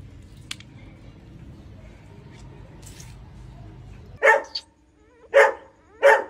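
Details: Pointer dog during a home birth of nine puppies: after several seconds of low murmuring background, three loud, sharp barks come about a second apart.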